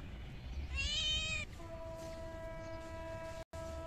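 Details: Raw-fish-fed stray kitten gives one strong, slightly falling meow lasting under a second, followed by a steady sustained tone that cuts out briefly near the end.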